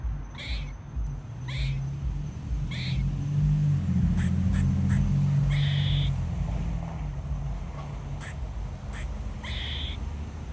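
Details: Barking squirrel sounding a warning of danger: a run of quick, harsh chirps, some paired or doubled, spaced about one second apart, over loud low-pitched droning background noise like a passing vehicle.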